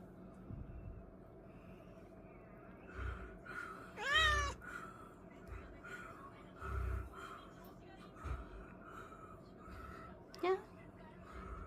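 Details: House cat acting affectionate on 1 January 2025, New Year's Day: a sharp, rising meow near the middle and a shorter one near the end, over low room noise and brief murmurs.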